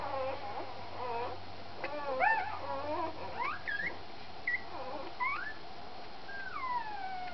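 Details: A puppy while feeding, making soft, scattered whines and squeaks, some sliding upward and others falling in long drawn notes, over a steady low hum and background hiss.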